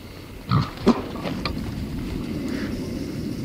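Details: Wild boar rooting through brush for food at very close range, giving two short, loud, breathy snorts close together near the start, then a steady low rustling of brush and ground.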